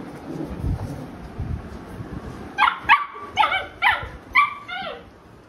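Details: Labrador Retriever, a mother named Alexa with her puppies, the mother disciplining them: after a low rumble, a run of five high, clear harmonic yelps or barks about every half second, likely from the puppies.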